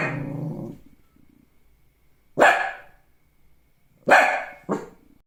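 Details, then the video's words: Shih Tzu dog giving a few loud, harsh barks, one single and then a quick pair, after a lower, drawn-out noisy sound at the start. "OUÇA O SOM DO LINDO CACHORRO SHIH TZU LATINDO 🐕 LISTEN TO THE SOUND OF THE SHIH TZU DOG BARKING"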